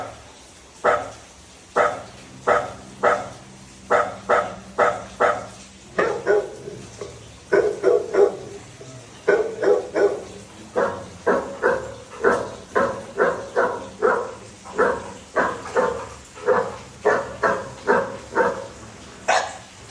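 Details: Labrador Retriever named Dhoni barking: a long series of short, sharp barks with brief pauses, mostly quick bursts of two to four and a few single barks, continuing throughout the clip.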